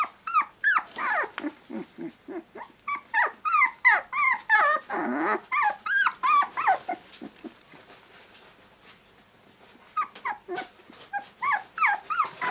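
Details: Male Shiba Inu puppy giving a rapid run of high, arching whines and yelps, each rising then falling, about three per second, broken by a short rough burst and a quiet pause before the yelping resumes.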